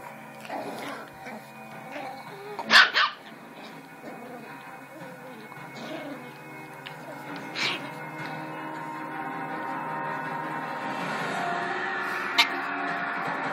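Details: Jack Russell mix puppy play-attacking a huge Labrador; one loud, sharp bark early on, then a softer short yelp midway and a brief click near the end, over a steady tonal background hum.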